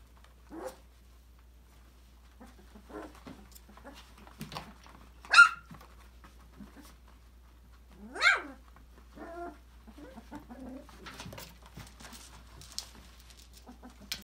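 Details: Five-week-old Australian Labradoodle puppies from Autumn's December 2020 litter, playing and exploring in an enrichment playground indoors; scattered squeaky yips and short whines, with two louder sharp barks, among soft scuffles and clicks of play.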